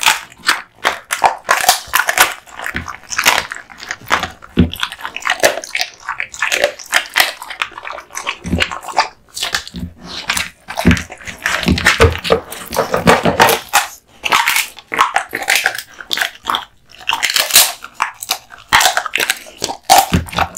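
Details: Male American Bully named Kotetsu eating duck spine jerky, a gift, in a small room: sharp crackling crunches and gnawing, steady bites several per second with short gaps.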